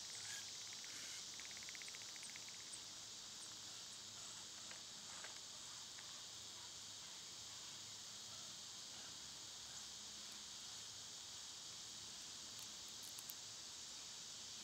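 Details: Dense summer cicada buzz running without pause, a bright high hiss, while short bird-like chirps and rattles sound in the middle range early on and fade into the drone.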